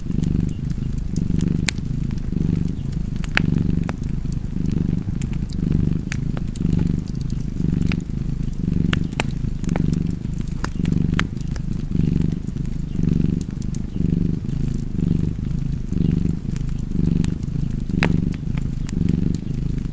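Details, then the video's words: Long stretch of a cat's purr, a low buzzing rumble rising and falling in regular breath-paced waves, accompanied throughout by frequent soft crackles and pops of burning wood. "Purring Cat and Fireplace"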